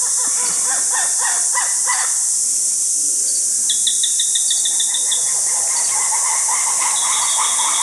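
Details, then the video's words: Lemurs heard nearby in a forest in Madagascar call in quick, harsh, repeated bursts over a steady hiss of forest insects. "On entend les lémuriens, mais ils sont pas loin."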